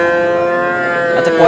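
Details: Sahiwal breed bull, Kurigram, 5 May: one steady, sustained low moo held at an even pitch, ending with a slight sliding shift.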